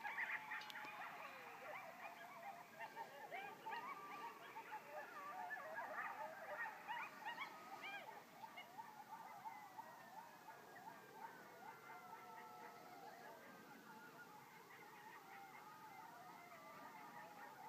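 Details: A group of coyotes, seemingly many, yelps and howls together in a dense chorus of high, sliding, wavering cries, recorded October 17, 2012.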